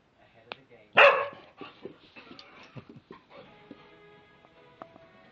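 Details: Male English Springer Spaniel barking for his dinner, a routine at 7pm each evening: one loud sharp bark, then softer whining, moaning vocal sounds with a faint tonal background and a person's voice.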